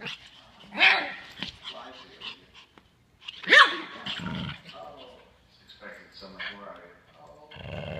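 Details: Pug puppy playing wildly indoors with a terrier, giving two sharp loud barks about three seconds apart, with growly low sounds and scuffling between them.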